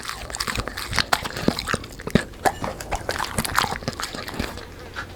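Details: Black Labrador dog chewing a meal of fried dough, sponge cake and vegetables, with dense crisp crunches and snapping bites repeated rapidly, moist mouth sounds between them, close to the microphone indoors.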